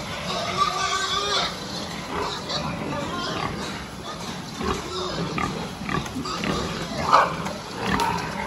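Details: Pig giving harsh, noisy grunts and squeals in irregular bursts, against a dense background of broadband noise with possible faint voices.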